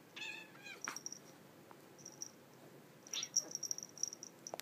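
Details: Two pet cats, Russell an orange tabby and Katy a calico, wrestling and biting indoors after grooming; a short harmonic meow opens, followed by scuffling thumps and bursts of high ticking and rustling from the tussle.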